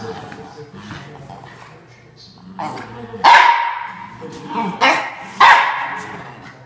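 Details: Male Norfolk Terrier guarding his bean bag chair; quiet murmuring at first, then three loud harsh barks spaced about a second apart.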